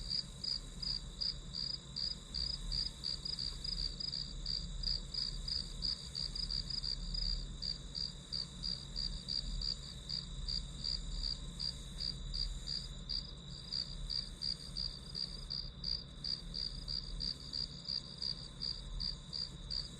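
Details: Steady grass-insect chorus for studying: bright, high chirps beat out quickly and evenly, near three per second, throughout, with a continuous thin high tone and faint low rumble behind.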